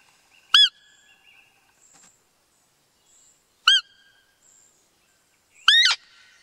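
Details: A male roe deer (Capreolus capreolus) gives short, thin, high peeping calls, spaced a few seconds apart.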